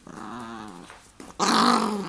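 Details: A dog being wrestled in play gives a rumbling, throaty growl that swells into a louder, harsher grumble.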